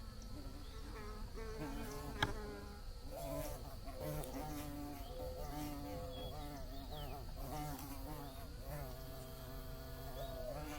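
Several bees buzz together in a steady, wavering drone, with pitches drifting up and down as they fly.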